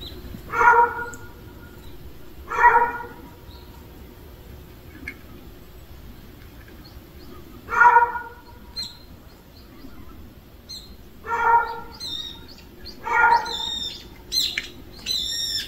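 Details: Stray cat family gathered at a meal: low, harmonic meows repeat at uneven gaps of roughly two to five seconds, with thinner, higher-pitched mews overlapping toward the end.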